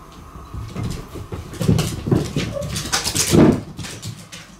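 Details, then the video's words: Cats in play mode indoors on a long autumn night: a run of short whimpering, growly vocal bursts mixed with scuffling noises, swelling and fading over a few seconds and loudest toward the end, with a faint room hum underneath. "秋の夜長の遊びモードの猫たち Cats in play mode on long autumn nights"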